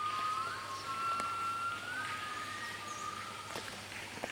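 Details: Gibbons calling at park headquarters in Cat Tien National Park, Vietnam: long, clear whistled notes with quick upward swoops over a steady forest hum, with birds such as Zebra Dove, bulbul, barbets, coucal also present.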